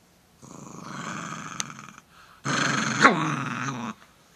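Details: An Italian Greyhound named Slim growls at a threatening finger: two long rumbling growls, the second louder with a sharp snap-like burst in the middle, indoors.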